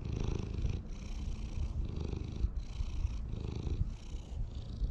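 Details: Community cats living together in a park purr while being petted, filmed on a GoPro HERO8; a low rumbling purr pulses in steady breaths, each surge lasting under a second with brief pauses between.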